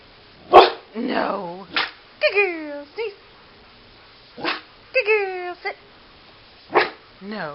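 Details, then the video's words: Pit Bull sneezing on command: quick explosive bursts alternate with a woman's spoken cues and praise, with occasional short yips, roughly seven seconds indoors. "Pit Bull Sneezes"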